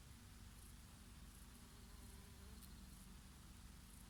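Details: Bees grazing on oregano flowers in summer, a bumblebee here and there: a soft, steady low drone with a faint humming tone that rises and falls, set against a gentle summer breeze.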